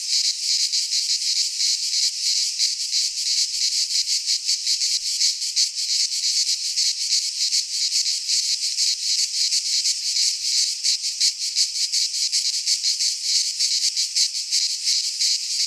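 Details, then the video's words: Cicadas singing in midsummer in a Greek pine forest: a dense, continuous buzzing chorus, high and rasping, pulsing rapidly about three times a second with no other sounds. "Cicadas singing in midsummer - Nature sounds from the Greek fauna - Sounds of cicadas"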